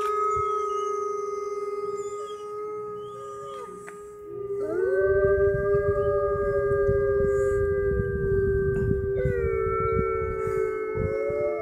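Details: Chorus of wolves howling at the Toronto Zoo, Canadian Pavilion, late in the day near closing: sustained level howls, a voice sweeping up around four seconds and another jumping higher near nine, low rumbling noise beneath.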